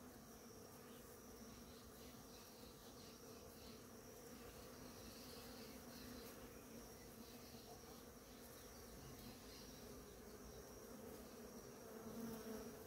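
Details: Bees in large numbers visiting ora-pro-nobis in bloom; a dense, unbroken swarm drone that swells slightly in the middle and again near the end, with a faint constant high tone.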